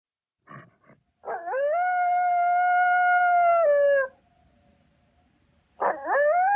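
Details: Coyote howling: two short yips lead into a long, steady, level howl with rich harmonics that drops slightly at its end, followed by a pause and a new howl that sweeps upward.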